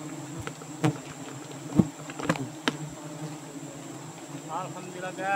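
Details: Giant honey bees at a nest in the rainy season in Borneo: a steady low droning hum runs throughout, broken by sharp knocks and clicks. A human voice is heard briefly near the end.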